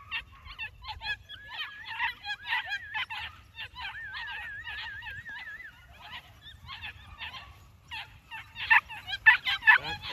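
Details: New Zealand Huntaway puppies giving a dense run of short, high yips and squeaks, with a drawn-out wavering whine near the middle and a louder burst of yelps at the end.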